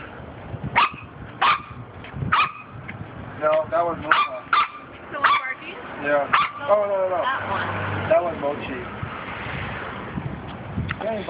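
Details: Six Corgi puppies, outside for the first time: short high yips and barks repeat in bursts, some arching squeals between them, with people talking over the litter and a low rumble in the background.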